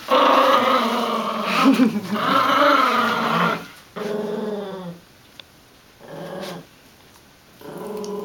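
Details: Two dogs, a golden retriever puppy and a small chihuahua-dachshund mix, growl during a tug-of-war game: a loud, sustained rough growl lasting several seconds, then shorter growling bursts separated by quiet gaps.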